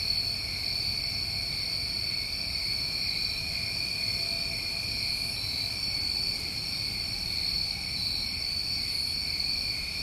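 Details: Steady shrill ringing of many New England crickets on a summer evening, two constant high-pitched bands sustained without pause, plus a faint higher shimmer and low background noise.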